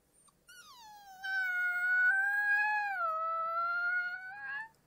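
A young wolf gives a long, high, quavering howl that swells, dips slightly and fades.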